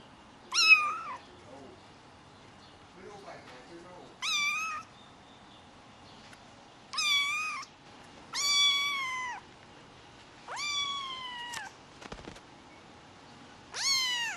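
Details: Repeated meowing from a rare white Highland Lynx hybrid kitten: about seven high, plaintive mews, each under a second long, spaced roughly every one to two seconds with short rustles between.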